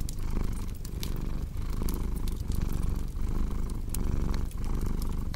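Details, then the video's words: A cat's deep, continuous purr with a regular in-and-out breathing rhythm, overlaid by scattered crackles and pops from a cozy fire. "Purring Cat"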